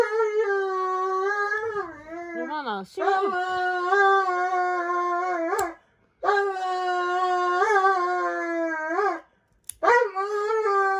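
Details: Dobermann Roman howls over and over while his nails are cut, more dramatic than a Shiba. Long, held cries with wobbling ends are broken by brief pauses, and there are quick yelps in between.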